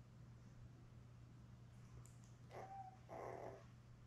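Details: From a live cam of seven newborn Labrador Retriever puppies with mother Belle, born May 24, 2021, filmed June 4: two faint, short, thin whimpers come near the end after quiet, above a constant low hum.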